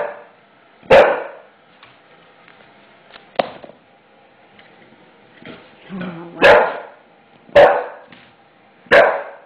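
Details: English Bulldog at home barking in fear at a new floor; scattered sharp barks spread over several seconds, some faint, mixed with soft room noises and brief speech.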